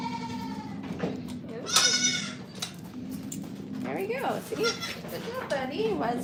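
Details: Goat at The Willful Goat Farm & Home, filmed during a live stream: one loud, wavering bleat lasting about half a second, with people talking before and after it and a steady low hum throughout.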